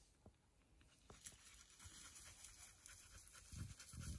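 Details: Border Collie cooling off in hot weather, breathing in soft, rapid, breathy pants about twice a second, growing louder toward the end with a few low thumps.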